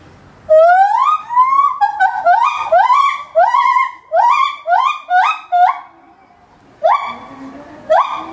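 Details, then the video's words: An 8-year-old male white-handed (lar) gibbon at Maruyama Zoo, Sapporo, in September 2013, gives loud, rising, siren-like hoots in a quick accelerating series that carried far. "シロテテナガザルの鳴き声~Lar Gibbon Crying"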